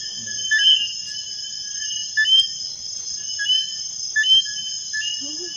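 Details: Eileen's robber frog (Eleutherodactylus eileenae) calling from a leaf at Topes de Collantes, Cuba, on 3 September 2016, gives short two-part whistled notes, rising at the end, over a steady insect chorus.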